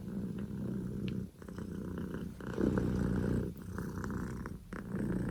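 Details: Loud purr from Poko J, a male Scottish Fold kitten born 15 October 2019 to Pekomi: deep buzzing rumble in bursts of one to two seconds, each separated by a brief quiet inhale, with faint clicks indoors.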